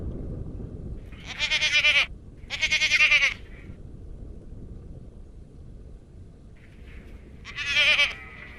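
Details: Garut goats on a farm giving three wavering, nasal bleats, a pair early on and a single bleat toward the end, over low background noise.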